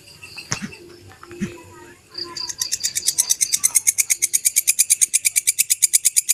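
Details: Genuine belalang kecek grasshopper sound intended for teaching songbirds: after two seconds of faint, scattered background noises, a sharp, hissing pulse train starts and builds in loudness, holding at about six crisp pulses each second.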